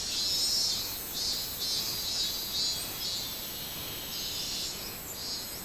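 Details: Minmin-zemi, the robust cicada, recorded on 24 July 2016: a piercing buzzy song beating in rapid, slightly irregular pulses about twice per second above a constant high whine.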